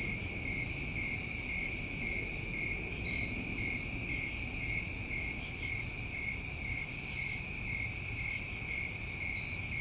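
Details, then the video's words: Chorus of New England summertime crickets: a steady, unbroken high trill with a fainter lower hum beneath. Soft, higher chirping bursts come and go every couple of seconds, over a low background rumble. "Over 1 Hour Of Tinnitus Masking With Crickets"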